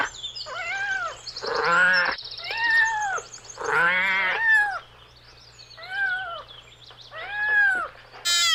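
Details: Playful kittens on grass meow repeatedly, about five loud arched calls spread over several seconds, some overlapping, above a faint steady low hum.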